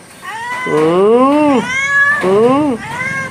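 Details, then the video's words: Domestic cat in a back-and-forth chat with its owners: two drawn-out meows, each bending upward and then sliding down, separated by a short pause, with a woman's Malayalam speech around them. "Chatting with cats / പൂച്ചയുമായുള്ള ഒരു കുശലാന്വേഷണം"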